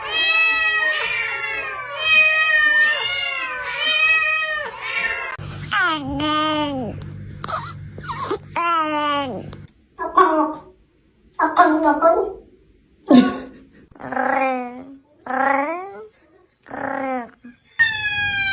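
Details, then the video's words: Domestic cat meowing repeatedly: a run of long, harmonic-rich meows that rise and fall, then a series of shorter separate meows with brief gaps between them, and a low steady hum underneath. "The sound of a cat’s meow will soothe your soul."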